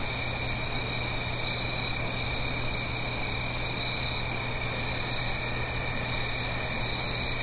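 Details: Many crickets trill without pause on a fall night in the Blue Ridge Mountains near a stream, steady high ringing tones with soft rhythmic pulses, a short stuttering high buzz near the end, and a low hum throughout.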